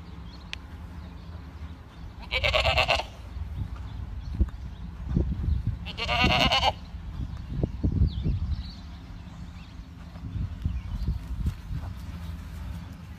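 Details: Boer goat on a farm calling twice with brief, strained, vibrating bleats roughly four seconds apart, amid low thuds and knocking sounds and a steady background rumble.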